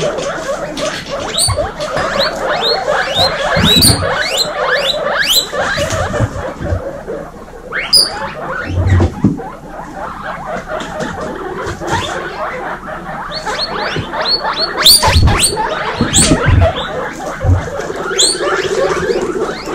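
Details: Baby female guinea pigs kept together in a kindergarten group; many animals squeak at once in dense overlapping chirps and rising whistles, with thumps and rustling beneath.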